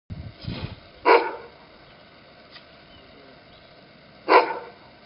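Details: Duri, a young Afghan Hound out in the snow and enjoying barking at it, gives two sharp, loud single barks about three seconds apart, with a low rumbling noise at the very start.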